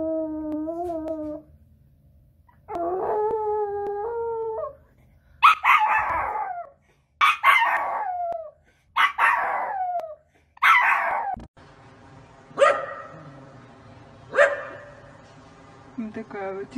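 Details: Dog in a funny compilation giving drawn-out howls: first long wavering tones, then a run of short rising-falling yowls about once a second, ending in fainter howls over a steady background hum.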